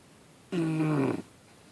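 An English Bulldog puppy lets out one drawn-out snore, a nasal, buzzy tone that sinks gently in pitch. It lasts less than a second, with quiet room hush before and after.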